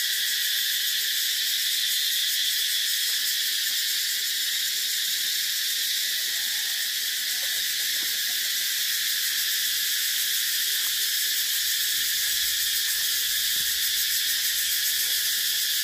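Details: Sustained shrill cicada buzz holding steady throughout, with a soft rapid pulsing in the high tones and a few faint lower chirps and clicks in the background.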